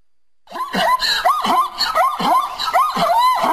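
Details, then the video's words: Zebra calling in a fast series of about six sharp, yelping notes in three seconds, each sliding up then down in pitch, giving a harsh, squealing, rhythmic bray. "Animals Sound zebra"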